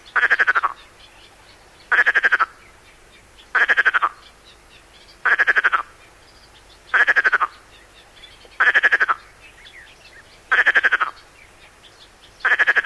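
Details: Perez's frog from the Mediterranean coast, on a 1996 French cassette teaching frog and toad calls: a steady run of short throaty rasps, each a quick burst of clicks, repeated about every one and a half seconds in a quiet setting.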